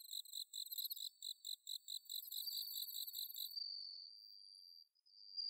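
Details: Singing bell crickets, autumn night, Inba-numa paddies in Chiba, Japan, among other crickets: quick repeated high chirp bursts for a few seconds, then a single thin steady tone lingering to the end.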